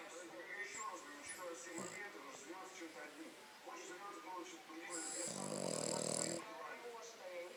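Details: Cleo, a five-month-old French Bulldog, snores while sleeping: one long, rough, rasping breath in the second half, set against steady background talk from a television.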